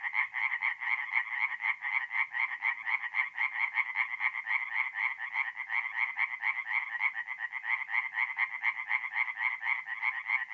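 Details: Night chorus of tree frogs at a North-East Italian forest pond in mid-April: many callers give quick, evenly pulsed rattling croaks, merging into an unbroken, shimmering wall of sound.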